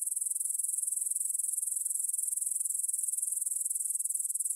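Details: Evening stridulation of grasshoppers in a field by the Svensky monastery in Bryansk, Russia, 9pm, 6 September 2020, Tascam DR-44WL stereo: a steady, very high-pitched trill of rapid, even pulses at an unchanging level.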